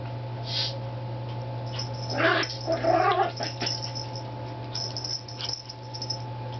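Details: Yorkshire Terrier that does not bark makes a funny sound while playing with his treat: a short burst of throaty, whiny grunts with a harmonic ring in the middle, over a steady low electrical hum.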